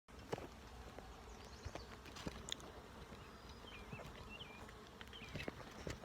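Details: Honey bees at an open hive during a full inspection, recorded on a propped-up phone: a steady low droning hum runs throughout, with scattered clicks and knocks from handling and a few short chirping bird notes high above.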